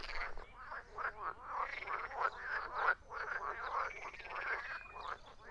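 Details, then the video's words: Group of frogs croaking, grating pulsed calls about every half second within a busy overlapping chorus, some louder croaks near the middle. "Frogs croaking"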